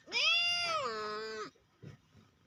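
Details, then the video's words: Cat meowing indoors: a single drawn-out, clear, tonal meow of about one and a half seconds that falls slightly in pitch at the end, then faint soft rustles. "cat sound meow"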